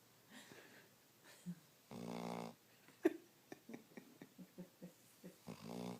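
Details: Snoring dog at rest: a drawn-out buzzy inhale snore, a series of soft puffing breaths and small clicks, then another buzzy snore at the end.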